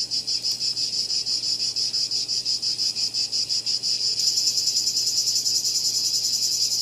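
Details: A cicada's shrill, high buzz pulses rhythmically at about two beats a second, then swells into a fuller, brighter and more continuous drone for the final seconds.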